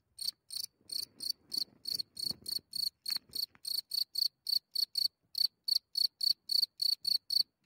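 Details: A cricket emerging from its hole after dark in Germany, recorded very close: rapid, piercing, high chirps pulse roughly three to four times a second, with a few soft rustles and low noises among the early chirps.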